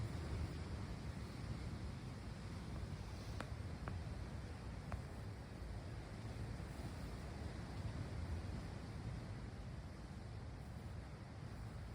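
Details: Steady low wind rumble with surf-like noise and a few faint clicks, no animal voice.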